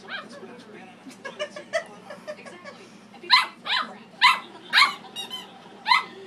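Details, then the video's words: Pet dog barks at its squeaky toy, starting with a soft run of short yips, then a burst of five loud, sharp barks in the second half. "barking at his squeaky toy"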